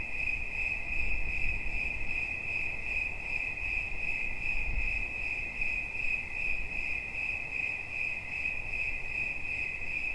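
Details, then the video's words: Cricket chirping as a relaxing sound: a bright, narrow tone in rapid regular pulses, interrupted by two short low thumps near the start and middle. "Świerszcz. Dźwięki relaksacyjne"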